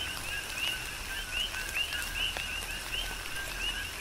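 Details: Rhythmic coqui frog chorus during a tropical rain shower, Big Island, Hawaii. Many frogs give short, bright upward-sweeping notes after a lower tone, several per second, backed by gentle rain and scattered drop hits.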